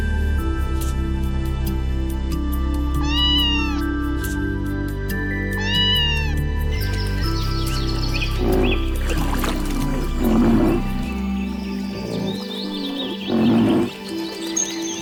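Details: Domestic cat giving two clear, arched meows a few seconds apart, followed by clattering and mixed noises, with relaxing music playing throughout.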